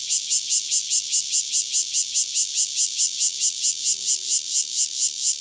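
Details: Near Dona village, KaoHsiung County, one Cryptotympana takasagona cicada produces a piercing, buzzing pulsed song, about four pulses a second, with faint low tones briefly audible beneath it midway.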